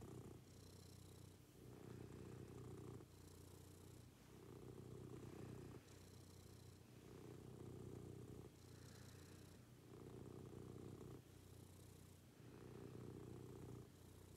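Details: Pet cat in a morning routine, purring continuously: deep rhythmic rumbling that swells and eases in regular cycles roughly every one and a half seconds, each exhale carrying a faint airy hiss.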